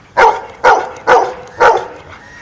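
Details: A dog, presented as clever at sums, answers the spoken question 'eight minus four' with four loud, evenly spaced barks about half a second apart, then silence.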